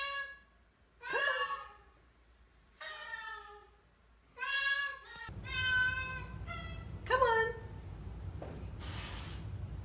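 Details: Vocal Oriental Shorthair cats, part of a four-cat household, on moving day into a new house; Teddy honking, Bindi screaming. Around six loud, harmonic, downward-sliding yowls in bursts, with a person talking, background music and room noise after midway.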